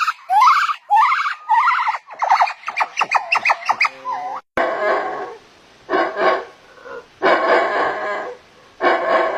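A monkey gives rapid rising, squealing yelps, then harsh, raspy screeching bursts.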